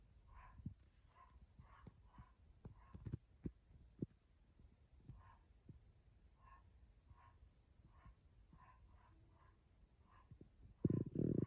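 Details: A dog barking inside a house, muffled short barks repeated in irregular bursts about every half second to second, with thumps and handling noise and a loud rumble near the end.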